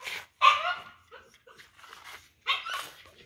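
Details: Big-bellied dog heading home lets out one strong bark, then a few faint soft sounds, then another loud bark near the end.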